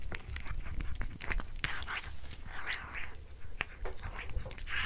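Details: Domestic cat eating a tuna mini stick, recorded close-up indoors: dense irregular wet clicks and crunchy bites, with soft smacking between them and steady low background hum.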